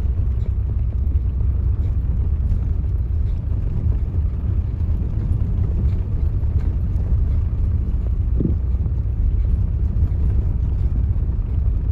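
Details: Loud continuous low rumble of a vehicle and wind outdoors fills the recording, with no animal sounds.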